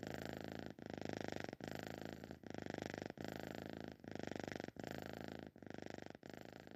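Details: Sleeping cat snoring: harsh, buzzing breaths in steady rounds, each lasting under a second and broken by brief pauses, about eight cycles with nothing else audible.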